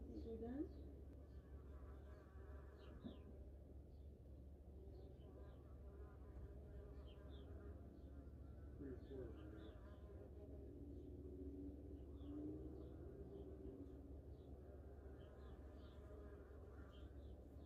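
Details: A low, steady droning buzz of angry wasps or hornets in a nest being sprayed with insecticide, the noise fading as they die, with faint chirps high above.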